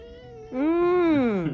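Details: Pet cat, lonely and clinging affectionately to its owner while snuggled on her lap, gives one long, loud, drawn-out meow that rises and then falls, after a softer lead-in tone, with a woman speaking soothingly in Japanese around it.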